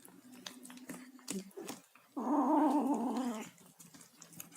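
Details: Tabby kitten vocalizing while eating: a single tonal, harmonic moan of about one and a half seconds rises out of soft chewing and clicking sounds indoors.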